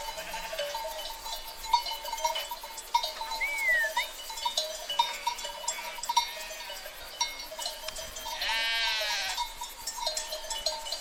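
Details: Bleating from a sheep herd: a short upward-curving call around four seconds, scattered soft bleats, and a long tremulous bleat at about nine seconds, over steady tonal ringing and light ambient noise.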